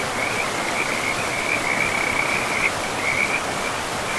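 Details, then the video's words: Frogs by a river in a pristine forest keep up an unbroken, high trilling chorus with brief louder pulses, backed by constant water noise. "River and Frogs sleep sounds"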